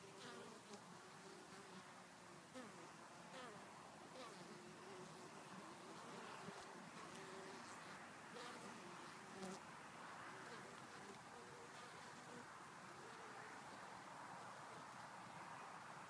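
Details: January honey bees bringing home pollen: a dense, steady buzzing drone with shifting hum tones over a broad hiss, broken by scattered clicks and taps.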